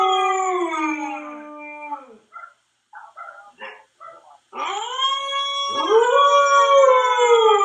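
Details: Jaxx, a Siberian Husky, howls to himself: a steady harmonic howl sliding downward and fading, a pause filled with soft yips and whimpers, then a strong new howl swooping up and holding.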